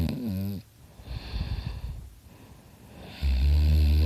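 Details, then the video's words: Sleeping dog Dakota snoring loudly beside the recordist: a buzzy snore fades into a long, soft, rasping breath, then a strong, deep, droning snore returns at the end. "Dakota snoring his butt off!"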